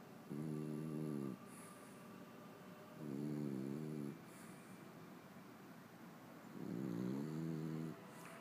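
A French bulldog snores in deep, rumbling bursts, each about a second long, roughly every three seconds.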